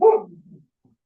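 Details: A pet dog that keeps barking and goes wild whenever something happens in the front yard gives a single sharp bark that trails off into a low, fading rumble. The surroundings are otherwise quiet.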